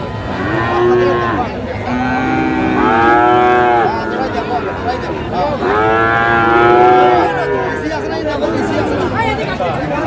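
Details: Two long, wavering bellows from Friesian or crossbred bull calves being traded at Raniganj haat, Dinajpur, Bangladesh, 15 January 2025. Each call lasts about two seconds and dips low at the end, with crowd murmur throughout.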